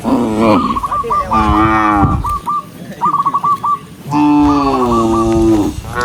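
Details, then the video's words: Tame cattle walking together along a countryside path as the sun sets over meadows, calling other cows to return home: overlapping deep harmonic moos at the start and a long, steady moo near the end, with brief trilled chirps between. "with the sound of cows, cow Sound"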